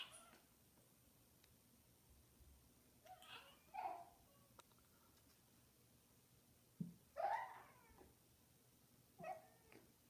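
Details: A Munchkin cat indoors making cute noises: three brief, breathy meow-like chirps spaced several seconds apart, the middle one loudest, in an otherwise quiet room.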